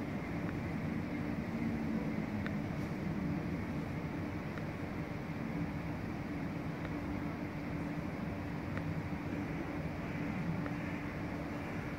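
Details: Steady low engine-like rumble with a constant hum and faint scattered clicks, and no animal voice anywhere.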